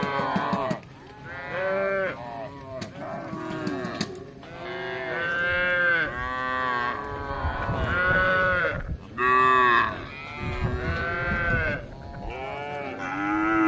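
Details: Tame village cattle roaming for grass: many overlapping moos in close succession, long harmonic calls with dips and rises in pitch, suggesting several animals calling together.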